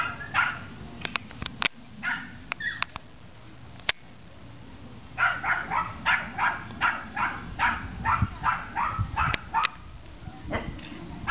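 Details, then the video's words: Two four-month-old Rhodesian Ridgeback puppies, Kaisi and Gixxer, acting as guard dogs: a run of short, sharp barks repeated nearly three times a second in the second half, after scattered clicks and a woman softly soothing one pup. "Kaisi and Gixxer Guard Pups 4 months"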